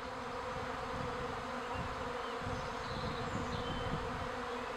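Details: Steady droning hum of a wild, untreated honey bee colony nesting under the roof of a teaching apiary at Villa le Bosquet, Calvados, Normandy; thick unbroken buzzing with faint low rumble beneath.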